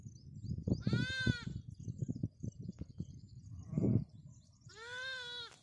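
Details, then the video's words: A lamb calls for its mother, giving two quavering bleats about four seconds apart, with thumping, scuffling and rustling between them. "Lamb calling mom"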